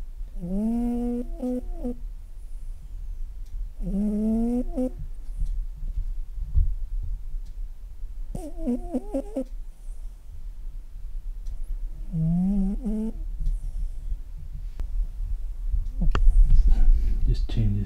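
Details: A very old, very deaf female cat snores loudly, enough to be heard across the house. Tonal, nasal snores of about one second each recur roughly every four seconds, some wavering in pitch, with soft rumbling breaths between them.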